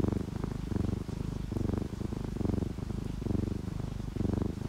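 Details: Relaxed house cat purring while asleep with rain falling, an orange tabby and calico pair; deep buzzing purr in even rhythmic surges, each inhale and exhale pulse clearly separated.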